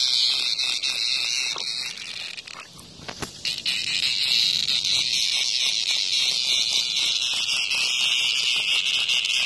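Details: Cicada under attack by a hornet in front of a house, calling in a loud, harsh continuous buzz high in pitch, with a brief drop and broken crackles midway before the steady drone resumes.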